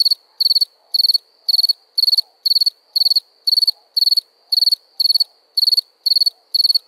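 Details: At night, a cricket repeats sharp, high pulsed chirps very evenly, about two each second, fourteen in a row, each chirp a tight cluster of rapid clicks, with near silence between.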